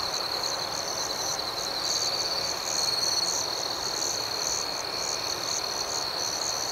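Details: Crickets singing at night in an outdoor setting: an unbroken, high, even trill with fast, throbbing pulses layered above, steady in loudness throughout.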